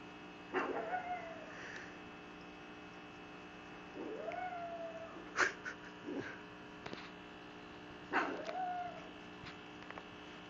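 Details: Little miss pugglet Cupcake going to great lengths to explain ownership and capitalism to her sister: three arching, moaning yowls spaced a few seconds apart, with short clicks and snorty bursts between them and a faint electrical hum.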